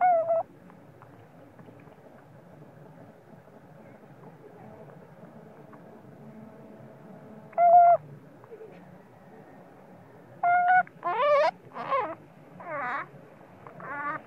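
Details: Spoiled baby monkey crying at its mother when sleepy, even while being breastfed. After a quiet stretch, a single sharp harmonic scream, then a burst of four or five loud, wavering, rising-and-falling shrieks near the end over a low background rumble.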